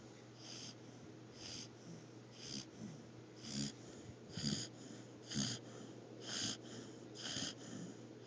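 An Australian Shepherd snores, with wheezy, hissing breaths about once a second in a quiet room.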